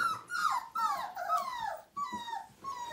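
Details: Whining from a Siberian Husky puppy aged five weeks at its first bath, 2017, one of nine littermates: long, wavering cries bending downward, broken by short pauses, then two steadier falling whines indoors.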